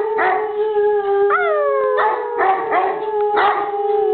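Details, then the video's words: English Mastiff named Bruiser howling: a steady, drawn-out tone with stacked harmonics, punctuated by several quick upward-swooping yips that fall back into the continuous howl. "Mastiff Howling"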